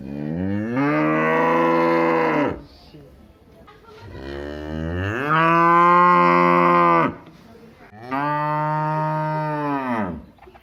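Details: Cow in a village mooing three times in a row, each call a full, deep, drawn-out low lasting about two seconds, rising slightly at the onset and falling at the end, separated by short quiet pauses.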